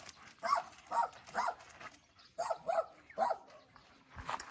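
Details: German Shepherd during a meeting of two dogs: about seven short, sharp yelping barks in two bursts, three then three, with a quiet pause between and little other sound.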